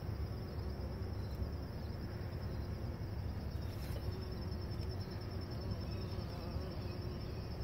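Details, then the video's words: Bee buzzing around pumpkins on a Sunday morning, a steady low droning hum that stays even for the whole stretch, with faint broadband background noise. "Bee Buzzing the Pumpkins on Sunday Morning"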